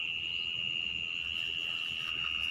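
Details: A mole cricket heard behind a house gives its continuous song, an unbroken, high-pitched churring trill holding the same pitch, falling silent when approached; faint low background rumble beneath.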